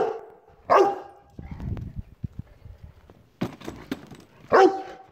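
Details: A Rottweiler confronting a chair lets out two loud ringing barks, with low grumbling and short clicks between them.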